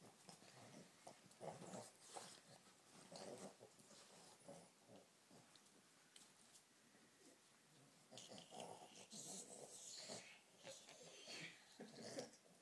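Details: Two Boston Terrier brothers make rough, breathy growls and snorts in irregular bursts while play-wrestling and biting each other's legs.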